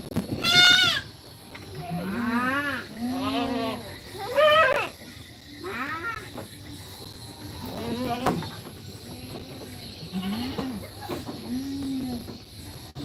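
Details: Goat kids in a goat pen during feeding and play, giving a series of wavering, quavering bleats roughly every second or two, some rising and falling, with people talking nearby and a loud sharp sound at the start.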